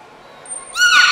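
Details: Beluga in captivity at Port of Nagoya Public Aquarium, 18 February 2024, playing after feeding; a thin high steady tone gives way to a loud harmonic burst with bending, arching sweeps.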